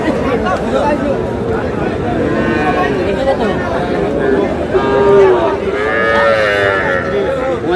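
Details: Cattle, young bulls and heifer calves for sale at the Dutaganj weekly haat, Dinajpur district, Bangladesh, on Saturday 28 March: drawn-out lowing moos rise above dense crowd chatter and shouted bargaining over prices.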